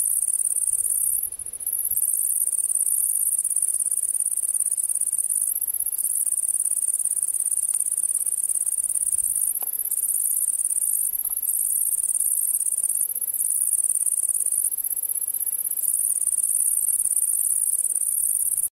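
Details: A great green bush-cricket (Tettigonia viridissima) sings from bushes in Brittany, France, a loud, strident, very high, continuous buzzing trill with only brief breaks.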